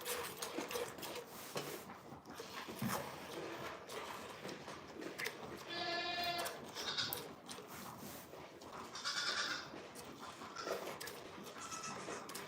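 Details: Goats at The Willful Goat Farm & Home give a few wavering, nasal bleats, two clearer ones standing out midway and later, over constant background chatter, clattering and faint music.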